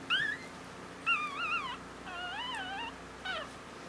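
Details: Female Havanese puppy born on Valentine's Day, newborn, crying in high, wavering squeals, some drawn out nearly a second with a warbling pitch, about one a second, over a steady low background hum.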